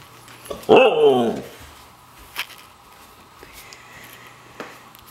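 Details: A white female Siberian Husky playing hide and seek gives one loud, wavering, yodel-like vocal burst that swoops up then down, announcing she has found her owner.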